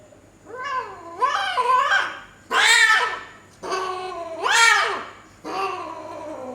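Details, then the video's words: Female Persian cat in Gujranwala caterwauling during mating: about five loud, drawn-out wailing yowls, each rising then bending down, rich in harmonics and separated by short pauses, over a faint low hum. "Punch face female cat mate peki face | Persian Cat Gujranwala"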